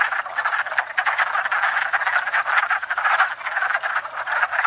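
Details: Wood frogs raising a racket at a pond each spring to court and breed, filmed from a stationary tripod: thick overlapping chorus of short, hoarse clacking croaks repeated rapidly with no pause.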